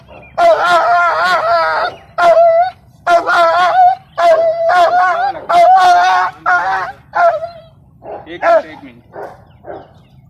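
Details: Adult female Rottweiler, aggressive while restrained for maggot wound treatment with a healing spray, lets out a run of strained, whining yelps and cries that thin out toward the end, while handlers talk in Hindi.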